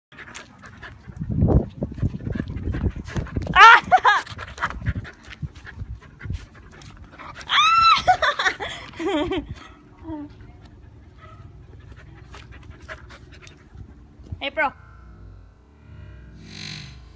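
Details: A 4-month-old female Siberian Husky gives drawn-out, wavering vocal calls between bouts of panting and snuffling.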